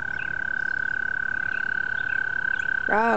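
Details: At a pond at night, a chorus of frogs blends into one continuous, high-pitched trill that pulses rapidly and never lets up. Near the end, a person's voice breaks in over the calling.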